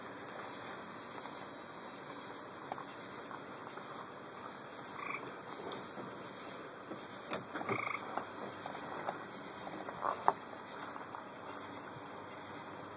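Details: Gray treefrogs call from a roadside along Route 25A in Wading River on August 3, 2012, giving short, musical trills over a steady, high-pitched insect chorus.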